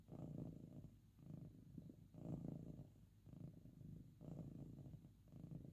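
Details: House cat with a very loud purr, lying down to nap or being stroked; deep rumbling purr pulsing with each inhale and exhale roughly twice a second-pair, steady and close.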